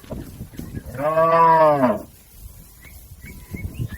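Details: Herded cattle crossing a river toward their pen: one long, rich moo swelling and then falling away over about a second, followed by quiet with faint bird chirps.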